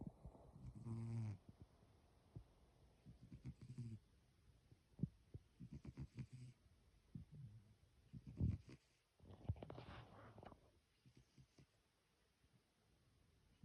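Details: Sleeping pet cat snoring: soft, low, rasping snores in short irregular bursts, separated by long quiet gaps.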